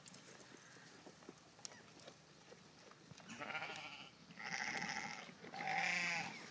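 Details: Golden Guernsey goats calling at feeding time: after a quiet stretch, three bleats follow in close succession, each louder and more nasal than the last, with quavering tones.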